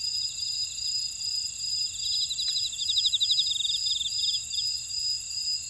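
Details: An insect chorus in a buckwheat field at Ora-dong, Jeju City, South Korea: shrill steady ringing and a fast pulse, with a cluster of loud stuttering trills in the middle and a single faint click just before.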